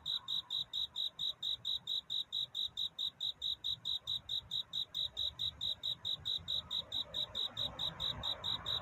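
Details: Cricket courtship song on a night at dawn's edge: strong, high, regular chirps about twice a second through the whole stretch, with a faint murmuring background growing slightly toward the end.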